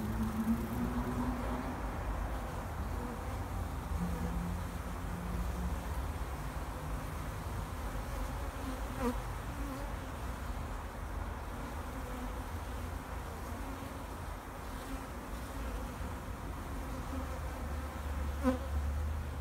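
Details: Open backyard hive of wintering honey bees, very active in full sun at 8 degrees, Vancouver, BC, March 2, 2019, 2:30 afternoon: a sustained deep hum of many bees, fluctuating slightly, with a couple of faint clicks.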